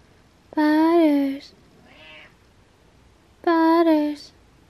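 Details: A cat meows in the morning while getting out of bed: two loud, drawn-out, tonal meows, each under a second with a slight dip in pitch, separated by a soft short sound, in a quiet indoor room.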